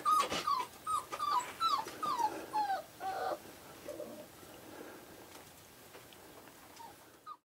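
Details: Five-week-old Australian Shepherd puppies, one squeaking in a run of short high whimpers, each dipping in pitch, about two a second for three seconds, then fading to quiet room hiss.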